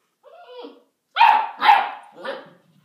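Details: Basset Hound puppy, bred for rabbit hunting, barking at another pet indoors during play: two loud, harsh barks in quick succession followed by a softer third, with a short whining yelp before them.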